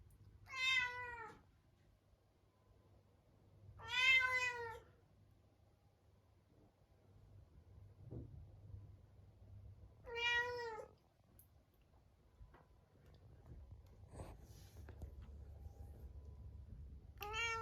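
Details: Munchkin cat, shut alone in a separate room at dinnertime before next day's neutering surgery, meowing sadly: four clear drawn-out meows with rich harmonics, spaced several seconds apart, quiet room with faint low hum.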